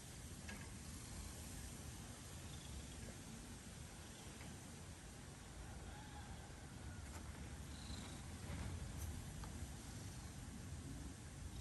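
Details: A cat purring: a steady, low, rumbling vibration that runs through the whole stretch, with a few faint higher clicks on top.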